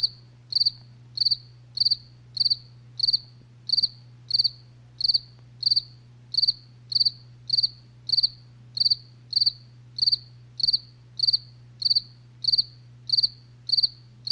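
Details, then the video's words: Crickets calling after dark: a long regular series of shrill, pulsed chirps, around twenty in a row, evenly spaced, backed by a continuous deep hum. "SONIDO DE LA NOCHE | grillos relax"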